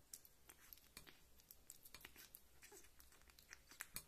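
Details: Kitten Rita feeding on meat or milk: quick crisp wet clicks repeating several times a second in a fairly even rhythm, like lapping or chewing, close and quiet.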